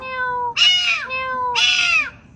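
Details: Domestic cat giving two long drawn-out meows, each starting with a steady tone and then breaking into a louder, harsher, falling wail, with a faint low rumble in the background.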